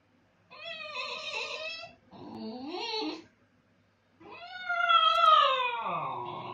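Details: Basenji howling while its owner is gone: three drawn-out, strongly tonal wails, the first steady, the second a short rising yelp-like phrase, the third long and slowly falling, separated by brief silences.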